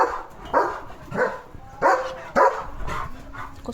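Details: German Shepherd named Leo barking as another dog goes past his home; four to five forceful barks at roughly half-second spacing, fading toward the end.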